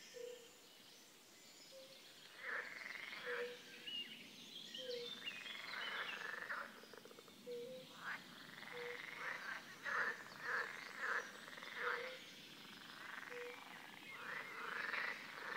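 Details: European tree frogs (Hyla arborea) call in bursts of rapid, harsh, rattling croaks at Ranšpurk reserve, Dyje-Morava floodplain, Czech Republic, on 14 May 2016, recorded through a fence.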